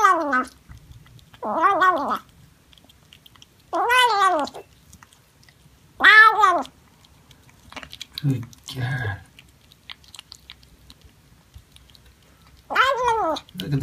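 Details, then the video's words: Domestic cat giving a series of drawn-out, downward-sliding meows with rich harmonics, separated by short pauses, plus a few lower grunting sounds midway and another meow at the end. "Funny Cats and Kittens Meowing Compilation October 2020 😺💗 Noisy Cats and Kittens Meow"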